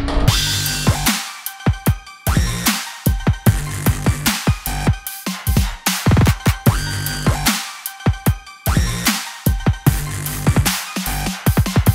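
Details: Electronic dance music with heavy bass drops and punchy drum hits, no animal sound present.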